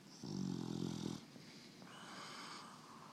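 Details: A female English Bulldog snores with a deep, raspy rumble, followed by a softer, wheezy breath.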